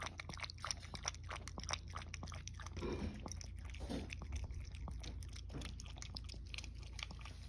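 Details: Indoor toy poodle lapping up goat milk with gusto, offered as a treat: a continuous run of irregular wet clicks and slurps from the tongue, with a faint low hum underneath.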